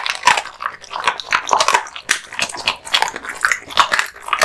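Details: Male American Bully (Pit Bull) dog crunching raw bones and meat in a small room, rapid sharp bites and wet mastication sounds in an unbroken run.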